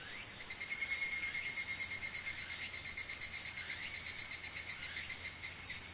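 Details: Higurashi cicada recorded in Oku-Mikawa, Japan: a bright, ringing, high-pitched trill that pulses about three times a second, swelling in after half a second and then slowly fading while keeping a steady rhythm, with no other sounds.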